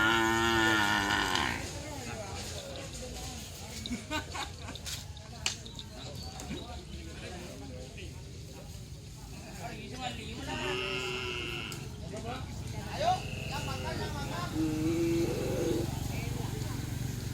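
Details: Cattle at a Kerapan Sapi bull-race training session at the Asemanis field in Pamekasan, Madura, East Java, Indonesia: a short harmonic moo opens, then fainter calls amid crowd chatter, people talking and scattered clatter.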